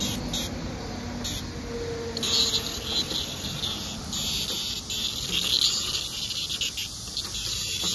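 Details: A blackish cicada (Cryptotympana atrata) sings on a summer weekend, 3 August 2024, during cicada collecting: a loud, shrill, unbroken buzz drones steadily for eight seconds over faint low rustling.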